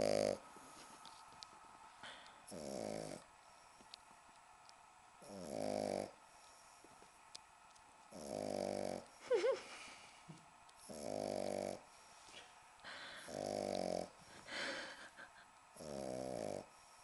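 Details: A 10-week-old British Bulldog puppy, a female, fast asleep on a sofa indoors, snoring: rough buzzy rasping breaths roughly every one and a half to three seconds, with a faint steady hum behind.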